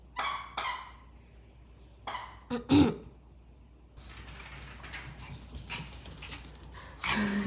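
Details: Maltese dog named Jaerong, indoors at play during a game of hide and seek, gives four short sharp barks within the first three seconds, then rustling movement and a woman speaking Korean follow.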